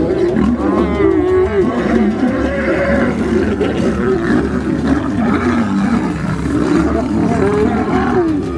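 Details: Male African lion fighting to defend its territory: continuous deep, rough growling and snarling, rising and falling in pitch with harsh rumbling throughout, no pauses across the whole stretch.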